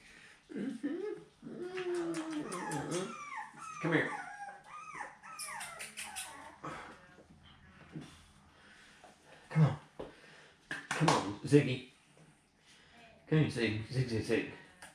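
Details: Seven-week-old puppies from Fancy's litter, handled while their pen is changed on 10/18/2020: high, wavering whimpers and squeals with rising and falling tones cluster early, followed by short yips, mixed with a woman's soft cooing speech.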